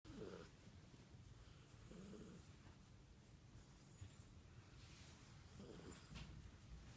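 An Italian greyhound makes a soft, low, cat-like purring rumble with faint breathy swells.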